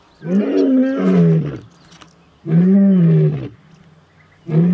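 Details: Male lion roaring: long, deep, moaning calls with a strong low tone, two sustained roars about a second and a half each, then a third starting, separated by quiet gaps.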